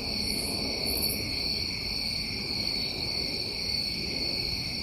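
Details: Summertime crickets in New England at night: an unchanging shrill, pulsing drone in several high bands, two brief higher chirps early on, and a low murmur underneath.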